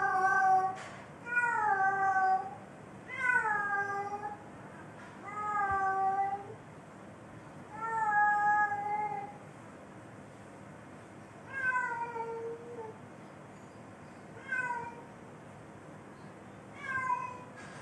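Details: Cat mating call indoors: a series of eight drawn-out, wavering meows, each rising then bending downward, repeated every two to three seconds with quiet gaps between, in a small quiet room.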